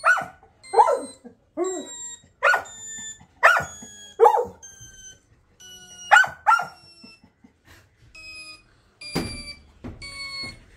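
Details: Labrador Retriever puppy howling: short, wavering yelping cries in quick bursts, several close together then spaced out, over a steady, evenly pitched beeping tone that repeats in the background.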